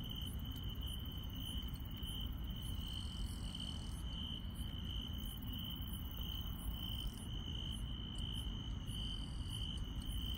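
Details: Insects calling on a night in the countryside: a steady, unbroken high trill with faster, higher chirping and ticking layered above, over a constant low rumble.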